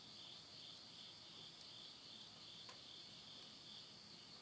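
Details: Late-summer insect voices at midnight in rural Yurihama, Tottori, Japan, in September 2020: an unbroken, even, high shimmering trill that fills the whole stretch, with a single sharp crackle from a wood stove fire.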